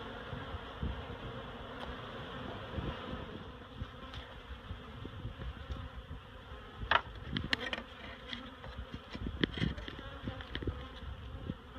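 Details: Honeybees being relocated from a barrel to a new home at Miss Bee Haven: a steady, dense hum of many bees with layered low tones, broken by sharp knocks and scraping from handling the comb and gear.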